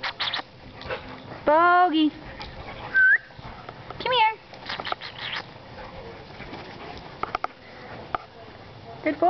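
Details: Alaskan Malamute puppy, ten weeks old, at play in a backyard with both parents; loud wavering whine-yelps with bending harmonics come in short bursts, separated by quieter rustling, a brief human whistle, and soft background noise.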